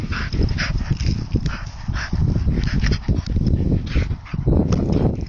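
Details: Two Bedlington terriers, Ollie and Dessy, playing together; short high yips and whimpers burst out in quick irregular runs over a heavy, constant low rumble like wind buffeting the microphone.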